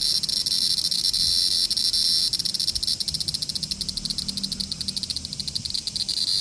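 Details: Cicada calling: a dense, high, continuous buzzing drone with rapid pulsing throughout, loud and steady, with faint low rumble in the background.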